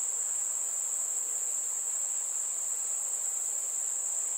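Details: Summer night insects, named as crickets: a very high, continuous shrill buzz holds one steady pitch without breaks from start to finish.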